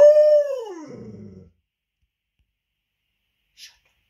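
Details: Female Leonberger dog that does not want to share her ball with another dog: one loud tonal howl, held briefly then sliding steadily downward into a rough, gravelly low moan lasting about a second and a half, followed by silence and a faint click.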